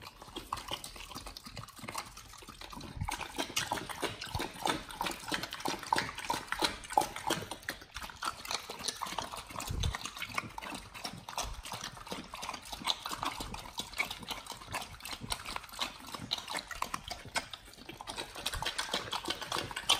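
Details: Dogs eating raw chicken breast and duck feet in a raw-fed BARF meal, recorded close up for ASMR; dense wet crunching and smacking bites, irregular and rapid, a steady stream of clicks and squelches throughout.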